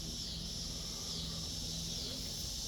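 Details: Cicadas singing in a backyard where kittens are being watched: a steady, unbroken high hiss-like drone that holds level throughout, over a faint low hum.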